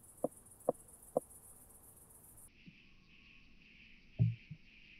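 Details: Southern oak bush-cricket singing at Starnberg, Germany, on 7 August 2023, made audible through a Pettersson D 100 ultrasound detector: a continuous high hiss that drops abruptly to a lower, gently pulsing buzz, with scattered soft clicks and thumps.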